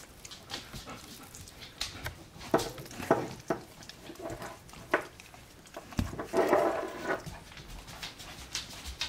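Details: Twelve-day-old Alaskan Malamute pups, sleepy and content after a feed, give soft whimpering cries in scattered bursts, two fuller squeaky calls standing out, amid steady rustling and shuffling.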